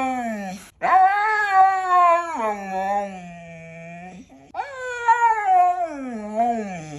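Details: Pet Siberian Husky howling in long, rich tones that rise sharply, waver and slide down into a low drawn-out moan, followed by a second rising and falling howl, no background sounds.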